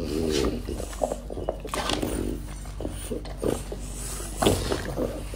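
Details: French Bulldog. A French Bulldog eats an apple, the sharp crunches of each bite breaking into moist, smacking chews at an uneven pace. A quiet human voice murmurs in the background of a small indoor room.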